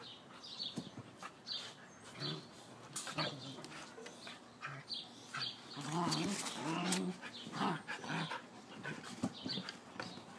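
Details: Siberian Husky at play: low, groaning grumbles rise in the middle of the clip, set against constant scuffling, rustling and clattering noise throughout.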